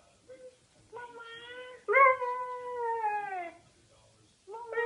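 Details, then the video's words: Siberian Husky puppy vocalizing toward a speaker phone while its owner's mother talks, said to be saying "mama"; two drawn-out, tonal whine-howls, the second longer and sliding downward in pitch, then a third starting at the end, indoors. "Siberian Husky puppy says "Mama" on the phone"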